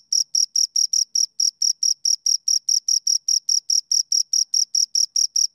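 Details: Two crickets produce a regular stream of high-pitched chirps, roughly four per second, clean and ringing, with even gaps between them and a quiet background.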